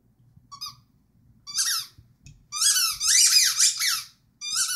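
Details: Rhodesian Ridgeback singing: a run of high, wavering, whine-like notes in short bursts, then a longer sustained stretch of quavering tones that rise and fall, with brief silent gaps between phrases and a faint low hum underneath.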